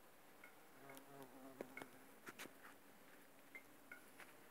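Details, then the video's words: Bumblebees working aconite flowers, a low humming buzz with a stack of steady harmonics that rises and falls as they move, over brief high chirps and soft clicks. "Шмели окучивают Аконит"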